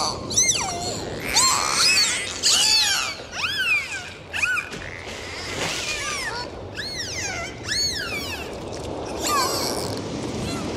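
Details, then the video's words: Underwater in the ocean, several dolphins give frequent arched and swooping whistles, some bouncing up and down in quick succession, over a constant hiss of sea noise and scattered clicks. "Sound of Dolphins"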